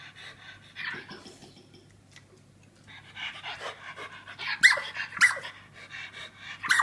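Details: Poppy, a female Australian terrier with a birth defect that leaves her unable to bark, squeaks instead; high-pitched strained squeaks and breathy panting come in bursts, growing sharper and louder toward the end.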